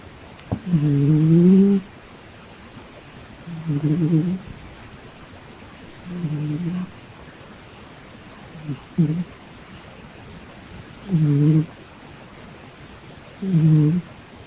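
A domestic cat gives low, throaty, moaning sounds, each under a second, repeated every two seconds or so.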